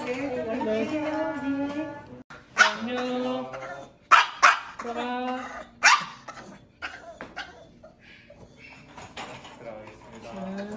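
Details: Hospitalised Maltese Dubu, visited after cruciate ligament and spay surgeries, whines to follow her owner home; drawn-out harmonic whimpers mixed with sharp bursts and human voices.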